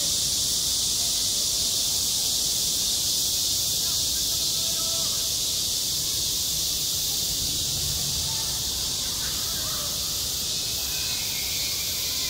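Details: Summer cicada chorus at a school sports ground, a steady shrill hiss-like buzz holding without a break for the whole stretch, with faint distant voices and other soft sounds low in the background.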